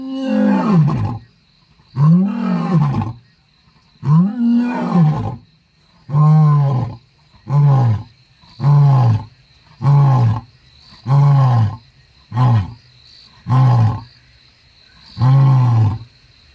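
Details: Matimba, a young male leopard roaming the Balule area, gives about eleven deep, rasping roar grunts, roughly one every 1.3 seconds. The first few are long and drawn out, the later ones shorter and clipped, over a steady high insect tone.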